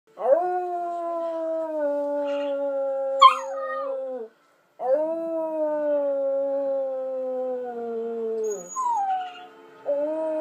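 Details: A Husky Samoyed mix puppy gives two long, steady howls that slowly sink in pitch, howling along with another dog.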